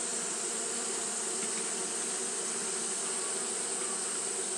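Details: Japanese honey bees fanning at the hive on a hot day, a steady dense buzz with hum bands around 200 and 400 and a bright hiss high above, unbroken throughout.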